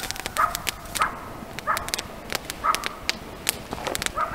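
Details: Night at a camp surrounded by coyotes: single clipped yips recur every half second to a second, clear and fairly distant, punctuated by sharp snapping clicks over a low hissing background.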